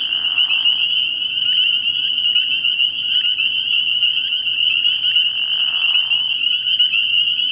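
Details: Many spring peepers calling together at a frog pond on an early-spring night, an intense continuous high peeping chorus, broken by lower rasping trills near the start and again around five seconds.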